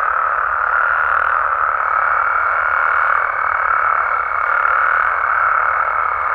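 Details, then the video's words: Mexican frogs and toads in a continuous night chorus: countless overlapping croaks blend into one even, buzzing drone, with a faint high steady tone in the background. "Mexican Frogs & Toads Sounds"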